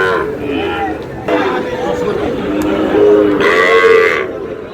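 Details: Sahiwal cattle at a Barishal, Bangladesh cattle market, 19 August, amid bargaining over bulls and heifer calves: short moos through busy market talk, the clearest a steady low bellow near the end, with men's voices throughout.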